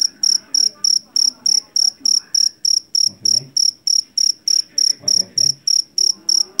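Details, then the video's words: Rice-field jangkrik jeliteng, the Javanese cricket famed for its loud call. Crisp, high chirps repeat very regularly about three times a second, with occasional low thumps and murmurs behind. "SUARA JANGKRIK PENGUSIR TIKUS SUARA ASLI"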